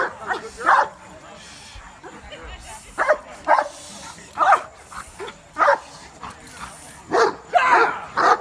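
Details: Barks from a Cane Corso at a cookout get-together come singly or in pairs, spaced roughly a second apart, while people chat and murmur nearby.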